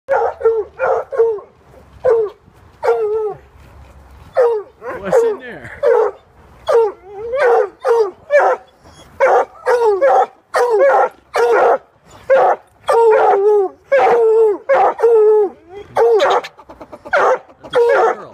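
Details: Coonhounds barking excitedly at a squirrel trapped inside a pig sculpture; loud harmonic barks and bawling yelps come in rapid, irregular bursts, several dogs overlapping, with faint human voices early on.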